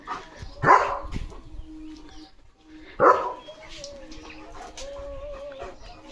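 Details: Leo, a German Shepherd kept at a village home, barks as other dogs pass the house, guard-dog style. Two loud, harsh barks about two seconds apart stand out over faint human voices and low background noise.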